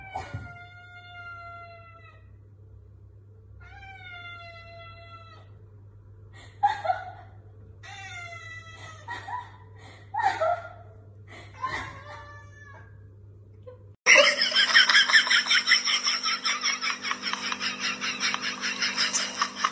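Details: Domestic cat meowing indoors: around ten clear, tonal meows over fourteen seconds, the early ones drawn out with a gently falling pitch, later ones shorter and clipped, then a loud, harsh, rasping buzz takes over to the end.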